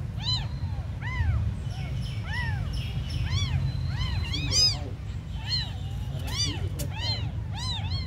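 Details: Tiny abandoned kittens crying with a steady stream of high, arched meows, some overlapping and repeated several times a second, over a low constant rumble.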